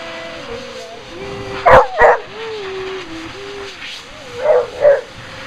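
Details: Beagle objecting to being blow-dried: two pairs of short, sharp barks, each pair about a third of a second apart, over a steady high-pitched whine and drone from the dryer with wavering tones.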